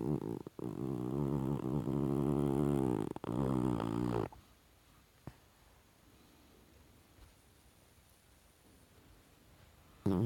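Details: A dreaming Chihuahua, Goliath, producing a sustained buzzy, rumbling groan lasting about four seconds with a brief dip partway, followed by near silence and a short burst of the same sound at the end, indoors.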